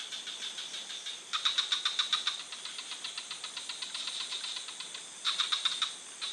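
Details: Frog calling in a forest: rapid rattling pulse trains, about three or four pulses per second, with brighter bursts near the start and end and a steadier, softer run of clicks between them.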